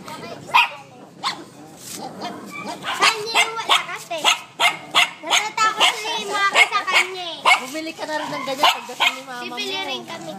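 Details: Shih Tzus Macky and Hershey, two pet dogs, in a noisy exchange: rapid run of sharp yapping barks mixed with wavering, howled tones, dozens of calls over ten seconds, while people talk and laugh nearby.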